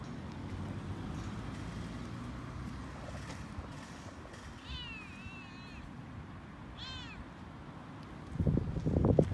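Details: Toyger cat Frodo vocalising while out walking: a drawn-out wavering meow followed by a shorter arched one a couple of seconds later, amid low outdoor rumble, ending with loud rustling thumps.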